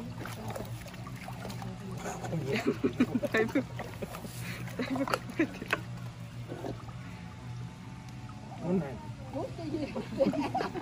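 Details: Hippopotamus (Hippopotamus amphibius), adult mother at Asahiyama Zoo, Hokkaido, Japan, in early July, crunches loudly through her first watermelon of the season with eyes closed, making wet, irregular snaps and squelches over a low hum.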